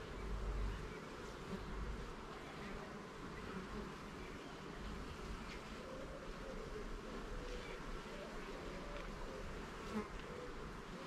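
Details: Honey bees at a garden hive during an inspection of its levels and frames: a steady, dense droning hum with layered low tones, a deep rumble underneath and a faint bump near the start.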